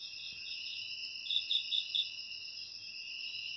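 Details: Shrill, steady trilling from several crickets, shared as ASMR for naturally repelling rats, rises into a short burst of four or five sharp pulsed chirps in the middle before settling back to the drone.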